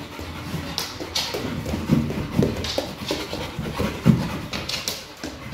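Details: Pit bull Kral at play with a Pilates ball, giving quick, husky panting puffs in uneven runs, a few sharper snorts standing out, over light handling noise.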